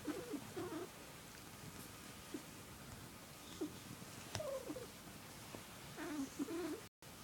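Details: Squirrel, a male pet cat, gives his girly warbling purr, which only one family member can draw out of him; short rising and falling chirrups come in clusters, with quiet gaps between the bursts.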